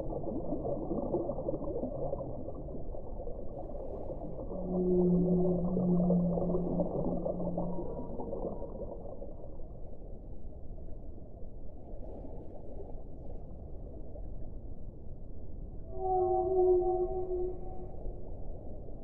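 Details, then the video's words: Whale song: two separate low moans about ten seconds apart. The first is long, deep and droning; the second is shorter, higher and ringing with stacked overtones. Steady muffled rumbling noise lies beneath. "1 ora di suono delle balene"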